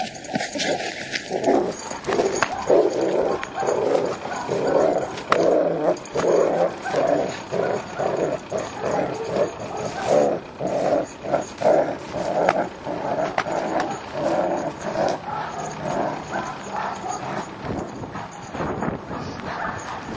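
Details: German Shepherd barking during aggression training at a utility dog training school: a long run of harsh, rough barks in quick bursts, repeated roughly every second, over a steady noisy background.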